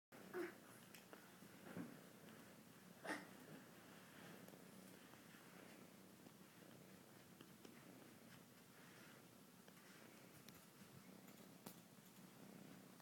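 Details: Domestic cat purring while being given a massage: a very quiet, steady low purr with a soft pulsing texture throughout, broken by a few faint bumps and clicks.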